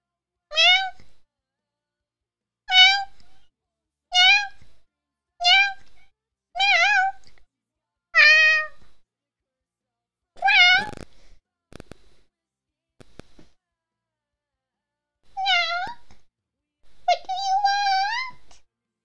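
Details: Domestic cat meowing in a back-and-forth conversation with its owner indoors: a run of short clear meows about every one to two seconds, some wavering, a pause, then a few longer rising meows.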